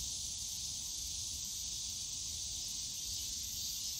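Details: Cicadas in the bamboo grove of Yongsan Family Park on a summer day, a steady unbroken high buzzing drone filling the air, with low park rumble beneath.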